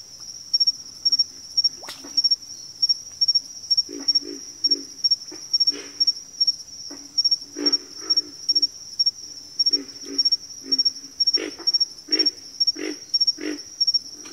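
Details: A frog chorus of repeated low, throaty croaks, often paired or in quick runs, grows busier toward the end. A constant shrill insect trill ticks in the background.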